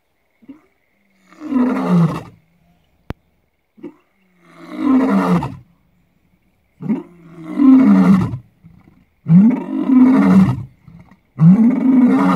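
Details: Lion roaring at Lalibela Game Reserve, South Africa: deep, drawn-out moaning roars about two seconds each, rising and falling, repeated with short silent gaps between.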